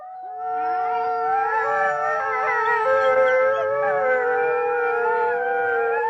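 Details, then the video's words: A pack of wolves howls together, long sustained tones overlapping at different pitches. "Eerie sounds of wolves howling"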